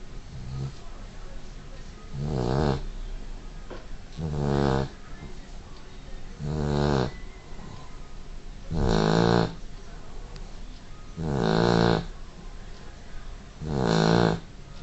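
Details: Sleeping dog snoring with deep, rattling breaths, six loud snores in fifteen seconds, roughly one every two and a half seconds, each a rough, low-pitched buzz lasting close to a second, with quiet breathing between.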